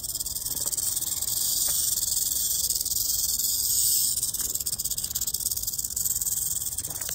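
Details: Rattlesnake rattling in Orange County, California: a continuous bright, sizzling buzz, fast and unbroken, swelling slightly in the middle before easing, over a quiet low background.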